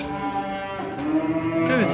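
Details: Pregnant Danish Red heifer on a Turkish farm, purebred breeding stock: one short harmonic moo about a second long that ends in a falling slide, over a steady low background murmur.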